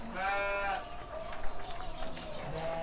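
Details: Single short, harmonically rich bleat from a young ram about seven months old at a farm in Kediri, Indonesia, followed by soft rustling and murmur.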